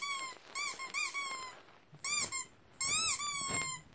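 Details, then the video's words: Dog reacting excitedly to weird sounds with thin, high-pitched squeaky whines in short bursts. Each whine is steady or gently arched and rich in overtones, separated by brief pauses, in a small indoor space. "Dog goes crazy over weird sounds"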